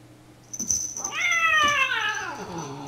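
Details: Pip, a tuxedo kitten, lets out a single loud, drawn-out meow lasting about a second and a half, rising slightly before sliding down and fading, over a steady low indoor hum and a thin high whine.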